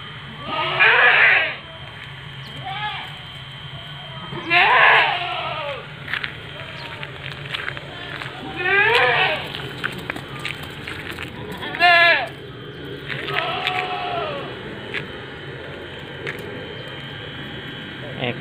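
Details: Seven-month-old Etawa doeling, 70 cm tall, bleating in short quavering bursts every few seconds, interspersed with Indonesian conversation and background clatter.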